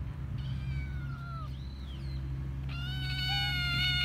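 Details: Young stray tortoiseshell kitten calling out for food to the person who feeds it, with two drawn-out meows, the second louder and longer with a rising tail, set against a constant low outdoor rumble.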